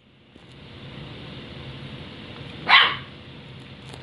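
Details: A puppy dog, newly adopted, barking indoors at a water dispenser she is afraid of; a single short sharp bark near the end, otherwise quiet room hum.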